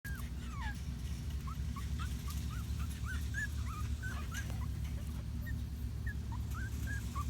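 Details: Litter of Patterdale Terrier puppies, six in the litter, giving many short, thin whimpers and squeaks that bend up and down in pitch, coming in quick irregular bursts over a steady low rumbling hum.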